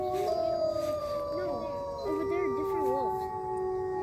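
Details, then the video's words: Sanctuary wolves in a group howl: long, level tones held by several animals at once, with a wavering, quavering voice that breaks up and down in the middle of the chorus. "Wolf Calls"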